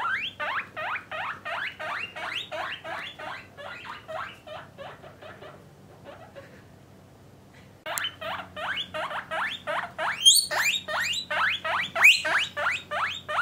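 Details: Pet guinea pigs, a parent and offspring family kept indoors with males and females in separate cages, give rapid rising squeals about three per second in a steady run, pause briefly, then resume louder and more irregular.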